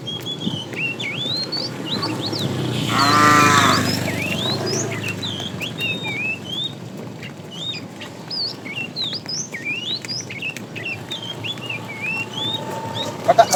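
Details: Afternoon herding of tame cows, a fat cow calling the female: a single moo early on, about a second long, followed by a long stretch of many chirping birds and soft rustling.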